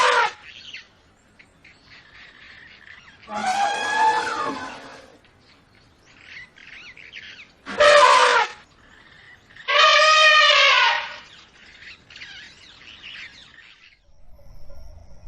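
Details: Kumki, a trained working elephant, gives three loud brassy trumpeting blasts, the second short and sharp, the others about one to two seconds long, between quieter stretches with faint background calls.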